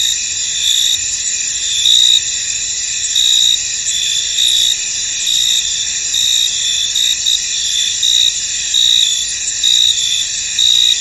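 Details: Crickets in a mist-covered field keep up a constant high shimmer of sound. Short, bright chirping bursts repeat about once a second over the dense background chorus.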